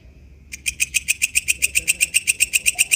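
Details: Wild katydid (walang kecek) starting up abruptly after a short silence, then giving rapid, evenly spaced buzzy clicks, shrill and dry, several per second until the end.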